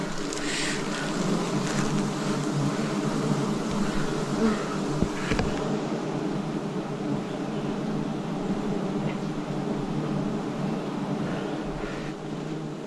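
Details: Forest honey harvest in 2026 with wild bees filling the air with an even, deep buzzing hum of many wingbeats, nearly unchanging across the clip apart from a couple of faint taps.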